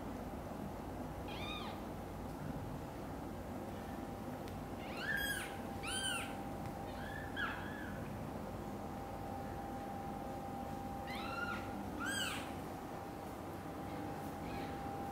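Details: Young kittens in a mother cat's nest, their loud meowing drawing the mother to come and carry them to her own nest. There are repeated thin, high, arching mews in small clusters, with a steady background hum.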